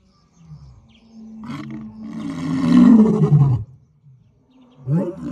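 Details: African lion in a safari setting, one low rough roar swelling over about two seconds and breaking off, preceded by softer grunts and followed by a short huff.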